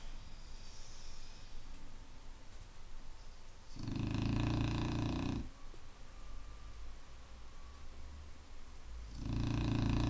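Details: Snoring Clumber Spaniel inside a room, giving deep, grating snores with a buzzy throaty texture, one lasting about one and a half seconds and another starting near the end, quiet pauses between them.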